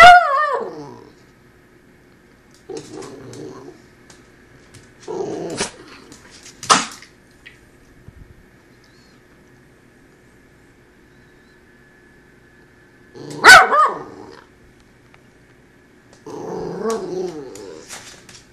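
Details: A Cavalier King Charles Spaniel gives a falling whine, then low rumbling grumbles between sharp knocks as it knocks the camera phone down.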